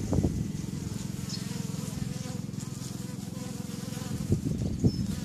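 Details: Honeybees active outside their hives on May 1st 2013, a dense low steady buzzing hum throughout with a few louder thumps and a faint voice.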